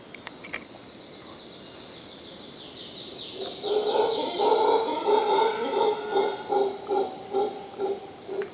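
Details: Howler monkeys at Pachamama Caribe in Punta Uva, Costa Rica, heard outside a bedroom. A quiet start with faint clicks gives way after three seconds to deep, pulsing roars that swell and fall about twice per second, growing louder, then easing off.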